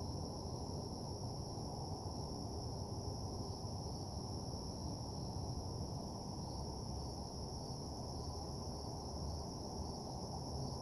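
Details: Nighttime cricket chorus by a desolate parking lot, an even, constant high-pitched trill with no pauses, layered over a strong low droning rumble.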